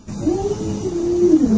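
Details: Indoors, the pet Alaskan Malamute Luoluo makes a sustained, wavering woo-like howl, a steady mid-pitched tone that bends up and down for under two seconds, with a faint background hum.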